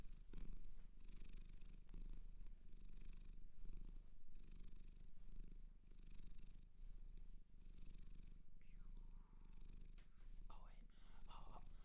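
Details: Close-up purring from a cat adopted from a Japanese shelter: a deep rumble swelling and easing in a rhythmic cycle about once a second, with soft rubbing noises toward the end.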